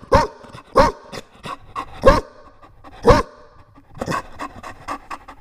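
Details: Loud barks from a Chow Chow puppy, short harsh bursts roughly once a second, interspersed with lighter yips and breathy panting.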